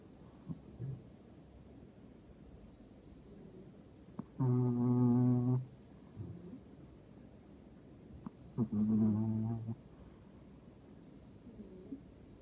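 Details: Toto the dog snoring for the first time ever, two loud, deep, droning snores about four seconds apart, each lasting over a second, in an otherwise quiet indoor room.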